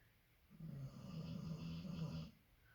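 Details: A female Labrador Retriever snores loudly while asleep, a single long, low, rattling rumble lasting under two seconds.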